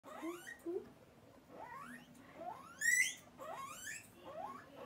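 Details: Pet guinea pig asking for food, giving a series of rising whistled squeals that sweep upward in pitch, several in quick succession with short pauses between, over a quiet background.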